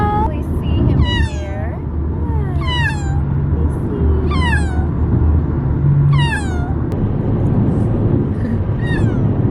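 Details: Male Bengal kitten named Fox meowing in a car on his first day, riding to his new home. Five loud, falling meows with rich overtones come roughly every one to two seconds over steady low engine rumble.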